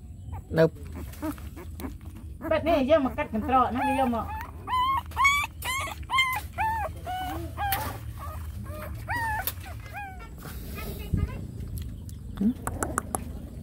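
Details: Dogs, a mother nursing her small puppies: a run of high, whining yelps comes in quick bursts, each arching up and down, denser early then thinning out, with a person's voice and rustling behind.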